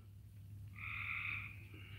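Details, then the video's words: Frogs calling outdoors under low clouds; a faint single drawn-out, buzzy call lasting under a second rises out of a steady low hum. "Y'all hear the frogs? That's what it sounds like here."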